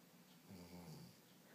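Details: Pet Labrador Retriever snoring while napping indoors, a single low rumbling breath swelling in the middle of the clip and fading away, with a smooth, steady buzzing tone.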